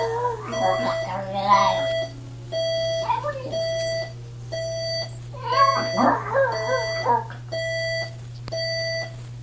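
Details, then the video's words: Chihuahua howling along with an alarm clock indoors: two wavering, rising-and-falling howls with a whimpering edge, set against steady high electronic beeps pulsing roughly once per second and a constant low hum. "Cute Chihuahua howls with alarm clock"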